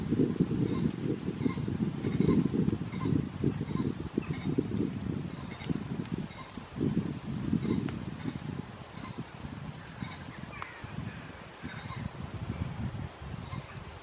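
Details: Deep, pulsed roaring from red deer in the rut at Studley Royal Deer Park, 30 September 2021, loudest over the first eight seconds and then broken into shorter grunts, with faint repeated high chirps behind.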